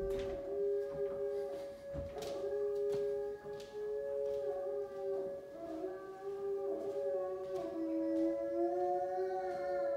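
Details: High-content wolfdog Kane howling at a monthly siren test on the first Monday morning, indoors in a kitchen; long sustained tonal howls with rich harmonics gliding slightly up and down, over a steady siren tone.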